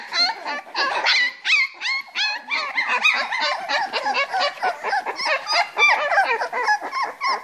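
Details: Litter of Springer Spaniel puppies, three weeks old, at play in a box: dense overlapping squeals and whimpers, quick and irregular, some rising into thin high notes.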